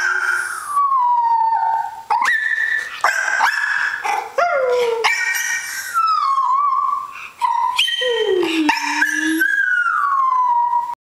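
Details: Female dog lying down and answering a child howling at her, producing long wavering howls and whines that slide up and down in pitch, overlapping with the boy's howling, continuous throughout.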